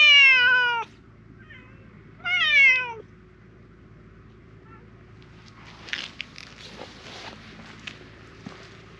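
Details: Grey mackerel tabby park cat, a stray, meowing loudly as if pleading for something: two strong drawn-out harmonic meows in the first three seconds, then quiet rustling and soft clicking noises.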